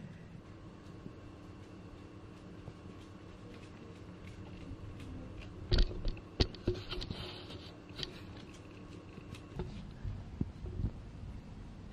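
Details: Quiet indoor hum with scattered tapping, patter and light knocks, and no animal vocalization.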